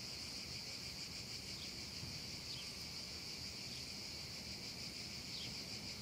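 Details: Cicadas singing over a meadow on a hot summer afternoon; a continuous high, even buzzing drone without pause, with a few faint bird chirps slipping through.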